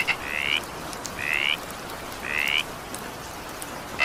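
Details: A frog in evening rain gives three half-second buzzy notes that slide upward, roughly one a second, ending with a click, over steady rainfall.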